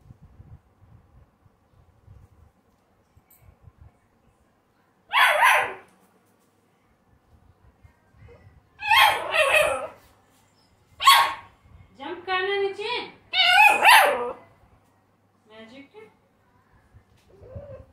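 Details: American Bully pup: long quiet stretches broken by short sharp yips and barks, then a strained, harmonic whine and a few softer squeaks.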